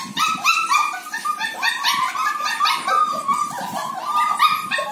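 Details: German Shepherd puppies of a top bloodline, show-quality stock from Bangalore, yipping and barking in a busy chorus: high-pitched, overlapping yelps follow one another rapidly and almost without pause, with several young voices calling at once.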